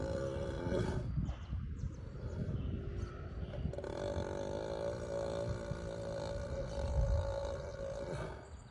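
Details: Sleeping ox giving one long, continuous rumbling snore with a steady buzzy tone throughout, low and rough, the breath barely pausing.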